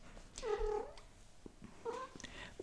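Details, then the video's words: A pet domestic cat calling in the background indoors, in a small room: two drawn-out, tonal meows about a second and a half apart, the first longer and bending downward, with faint clicks and room noise between. "We have a cat. I don't know if you can hear that."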